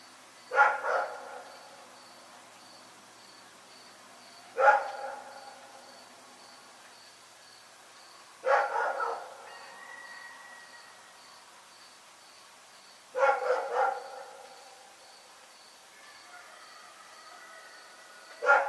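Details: Night barking from Rex the dog, five loud harmonic barks, the first and fourth doubled, arriving roughly every four seconds against a hushed backdrop with a thin constant high whine.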